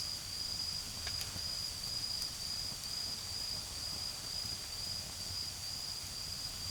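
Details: Autumn insects singing in a garden where a campfire burns low: a high, shrill trill pulses in short, fairly even bursts about twice a second, over soft background rumble, possibly distant traffic.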